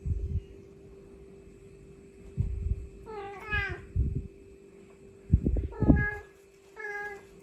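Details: Mother cat calling to her kittens in an on-site recording, giving three short harmonic meows spaced a couple of seconds apart, the first longest and wavering, with intermittent low thuds between calls and a steady faint hum.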